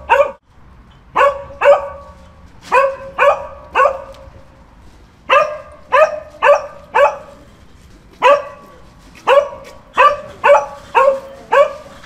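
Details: Repeated sharp dog barks, mostly in pairs and triplets spread across twelve seconds, each a short bright bark with strong harmonics, separated by brief silent gaps.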